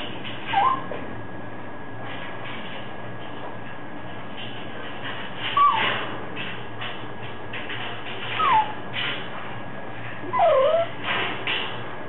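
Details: Two puppies, with brief high-pitched whines that fall in pitch, four spaced a few seconds apart, over a steady background hiss.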